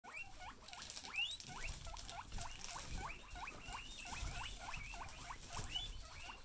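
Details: Several excited female guinea pigs call together: rapid, overlapping rising squeaky whistles, roughly three per second, in a steady stream with a soft rustling patter underneath.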